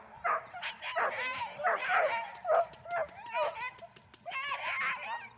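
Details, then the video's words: Dornan, a German Shepherd in protection training, gives a series of harsh, rising barks in quick succession, mixed with a human voice and a run of sharp clicking snaps. "Protection training - Dornan - German Shepherd"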